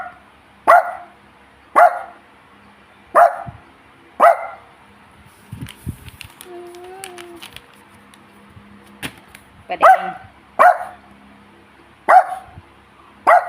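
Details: Pet dog hungry for a treat barks about eight times in sharp, loud bursts roughly a second apart, with a pause in the middle where soft voice sounds and a short tonal whine are heard.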